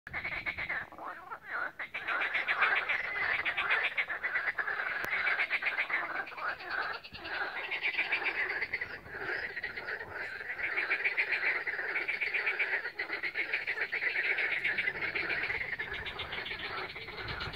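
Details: Frog chorus recorded on 16 May 2021 on the Lake Balaton shore at Siófok-Aranypart, Hungary, with a Samsung Galaxy S7 phone: dense overlapping croaks and rattling pulses, continuous and steady, many frogs calling at once.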